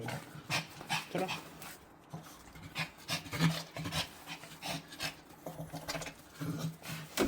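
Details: Dog on an outing to the animal hospital, its first walk, panting in quick breathy bursts that repeat roughly every half second to second, with rustling and handling noise around it.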